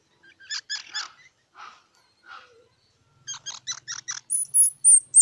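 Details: A squirrel's clipped, harmonic chatter notes come in quick groups of three to six, with a couple of softer, lower calls in between and thin, high, drawn-out squeaks at the end.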